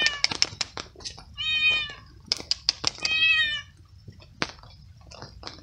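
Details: Wet stray cat living alone on the street, eating cooked veal on a night of steady rain, meowing with happiness as it eats: several short high meows and two longer wavering ones, with clicks and chewing noises between.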